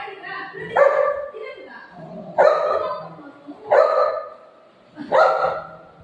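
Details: Golden retriever and shih tzu puppy in a fight: four loud, abrupt barks spaced roughly one and a half seconds apart, each sharp at onset and trailing off, with faint voices underneath.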